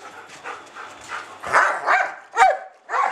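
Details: Two schnauzers romping together in play, letting off steam; short rough barks and growly bursts come in a quick, uneven series of four or five, with a person speaking nearby.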